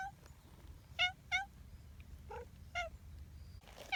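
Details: Short, chirpy meows from affectionate community cats come in quick pairs and singles, fairly quiet, over low background rumble.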